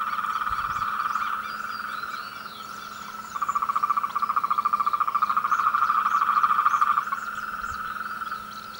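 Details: Frogs calling together during the mating and courtship season: a dense, steady pulsed trill around the middle pitch, swelling louder midway, with faint chirps from other callers above.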